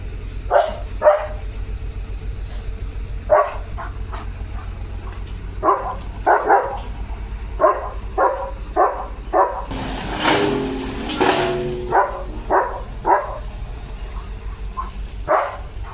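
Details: A long run of repeated barks from Leo the German Shepherd as a tractor goes past the house, barks coming in pairs and singles every second or so, with a loud rattling engine burst midway.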